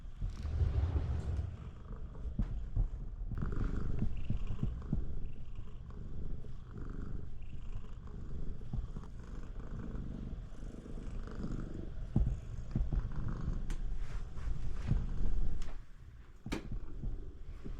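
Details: Siamese cat named Shamue purring very loudly to stop its owner from taking a bath; a steady low rumbling purr runs throughout in rapid pulsing cycles, with a few sharp clicks and knocks near the end.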